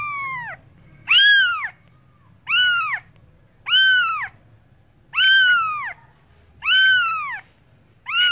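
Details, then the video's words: Cat giving repeated loud meows, six arched, harmonic calls spaced about every one and a half seconds, each swelling and dropping in pitch, with a quiet low background hum between them. "Cats Voice - Cats sound - Cats Meowing"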